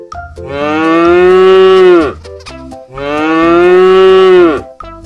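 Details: Cow, presented as a farm animal for children learning animal names and sounds: two long, drawn-out moos, each about two seconds, steady then falling at the end, with light music playing underneath.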